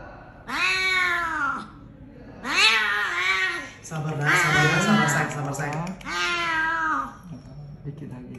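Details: Rescued cat with a broken jaw after being struck by a car, at Klinik Amore 5 BSD near New Year: four strained, wailing meows in a row, each sliding up and down, with a faint low voice beneath the third.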